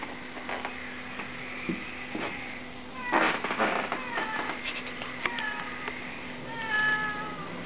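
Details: Mother cat meowing while searching for her missing kittens: a cluster of clear drawn-out meows near the end, each sliding downward, after scattered knocks and rustling, with a steady background hum.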